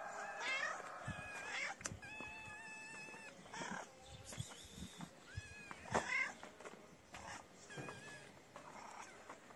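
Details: Kitten crying for food, its mother nearby: a run of short, high meows, some level and some rising, several each second at first, mixed with rustling and handling noises.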